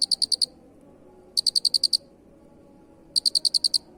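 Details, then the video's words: Jangkrik (cricket) chirps for masteran: three loud, crisp bursts of five to eight fast pulses, separated by silent gaps of about one second. "Masteran suara Jangkrik Unik"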